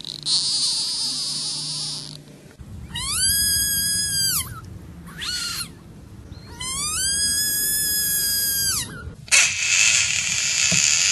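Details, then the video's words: Caught frog screaming: two long, loud, strained wails, each about two seconds, with a steady high pitch and rich overtones, separated by a short squeak. Noisy hissing bursts come at the start and end, with faint background hum. "Screaming Frogs"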